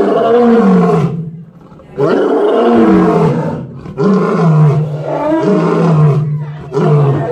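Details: Barbary lion, the Atlas lion population of Panthera leo leo, roars in a loud series of deep drawn-out moaning bursts, each lasting one to two seconds with short pauses between.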